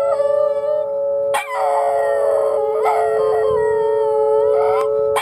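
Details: Two miniature Schnauzers, who dislike the sound, howl in wavering, rising and falling tones along with a steady wailing tornado siren during Oklahoma City's Saturday-noon siren test.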